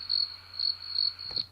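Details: A real recording of crickets, mostly one cricket, giving high, pure chirps in short pulsed bursts repeated about every half second, with little low end.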